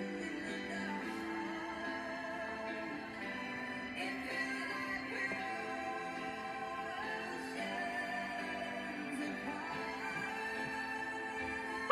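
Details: Soft, sustained music with a synthetic, sung melody plays at an even level throughout.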